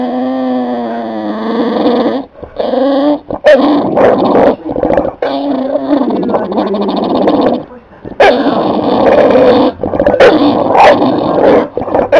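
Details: Capone, a pet dog, making his noise to get up into a lap or onto the couch: long, wavering, moaning whines with harmonic bands, broken by short pauses and continuing almost without stop.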